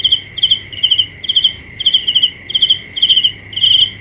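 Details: Cricket at night giving short pulsed high chirps, each a quick trill of three or four notes, repeated about twice a second, with a steady high background hum from other insects.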